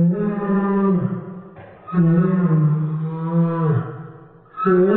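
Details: Whining Dobermann played in slow motion, giving a whale-like sound: deep, steady, droning moans with a slight rise and fall, two long notes separated by a brief dip.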